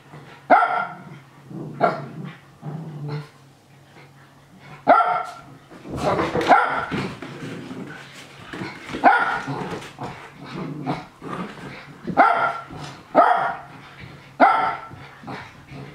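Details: Japanese Spitz barking excitedly while watching young dogs play-fight; loud sharp barks in bursts, some overlapping, with yips and scuffling between them, indoors.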